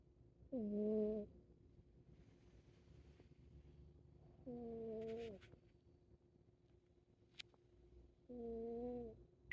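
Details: Siamese cat sleeping and snoring: three drawn-out, nasal, tonal snores with a steady low pitch, spaced about four seconds apart, with quiet breathing and faint clicks between them.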